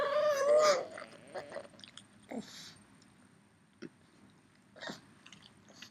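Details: Yoda, a three-year-old male pug left at home while his companion dog is out on a run, calling for his absent friend: a short high tonal whine with harmonics, followed by soft sniffing and snuffling clicks indoors.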